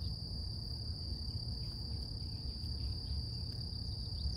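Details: Cicadas singing in the morning in nature: a steady, unbroken high-pitched hum with a fainter, higher shimmering tone above it, over a constant low rumbling background and faint scattered ticks.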